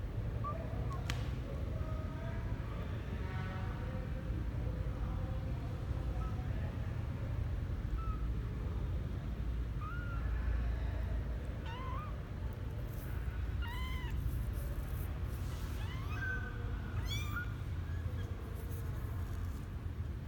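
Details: Twelve-day-old male kitten Misoka exploring outside his box for the first time, January 12, 2020; thin, faint mews come in loose bursts, a few quick upturned squeaks in the second half, above constant low background hum.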